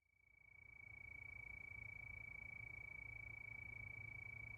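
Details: Crickets calling at night under the moon, a steady chorus: one unbroken, high, pure-pitched trill of very rapid pulses that swells in over the first second, then holds an even level with a low rumble underneath.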